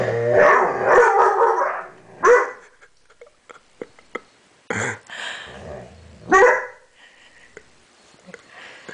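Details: Young dog, seven months old, barking at a mirror it cannot figure out: a rough burst of rapid barking, then scattered sharp single barks and a few soft clicks and thumps in a quiet room.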